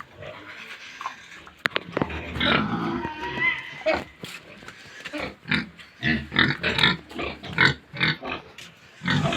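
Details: Pigs on a pig farm at feeding time, a busy chorus of overlapping grunts and squeals in rapid bursts, with sharp clanks and knocks through the pen.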